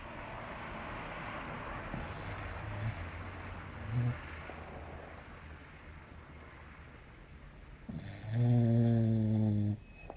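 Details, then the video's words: English Bulldog named Belchior snoring while asleep indoors: soft low snorts near the third and fourth seconds, then a louder, longer rasping snore with a droning, harmonic tone toward the end. "Belchior Roncando"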